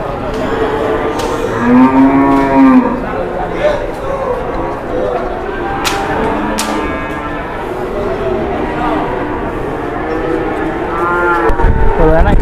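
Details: Large cattle, one of the biggest bulls of the morning in Indonesia, giving drawn-out low moos around two and six seconds, with a further moo near the end, over steady background noise and faint voices.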